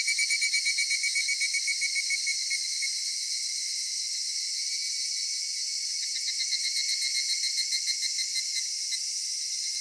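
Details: Cedar forest cicadas at summer twilight: a loud, pulsing buzz that opens with distinct rapid beats, then settles into an even, shrill hum and swells slightly toward the end.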